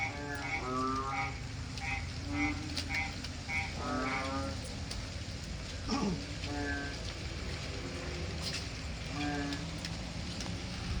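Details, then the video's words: Frogs calling at night during rain from a porch in the Philippines: bursts of rapid rattling croaks and short repeated notes, several callers overlapping, over steady rain noise with occasional sharp knocks. "Jungle sound in our porch at night when it's raining... Frog's heaven."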